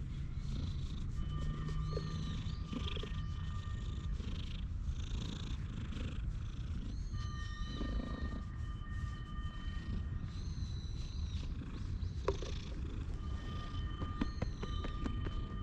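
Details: Stray cat purring on a person's lap while being stroked on a park bench, recorded on a GoPro HERO8; continuous low rumbling throughout, with several birds whistling steady tones and chirping in the background.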